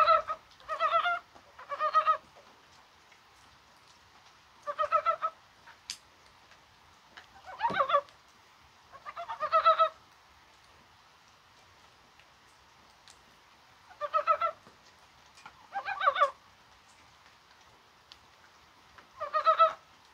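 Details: Korean brown frog croaking in rain on a spring-like January day: about nine short, rattling pulsed croak bursts spread over twenty seconds, sometimes in pairs, separated by long quiet gaps.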